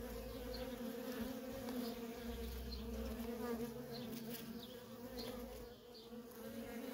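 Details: Worker honey bees streaming in and out of a wild feral colony, a thick continuous buzz with a steady low hum, slightly dipping near the end, individual bees passing close.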